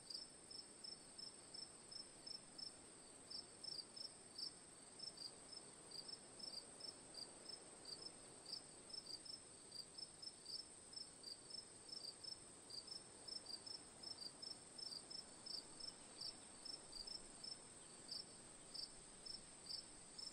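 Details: Cricket chirps for relaxation ambience, a long run of brief high pulses coming two or three per second, sometimes doubled, above a constant shrill whine and a faint noisy bed.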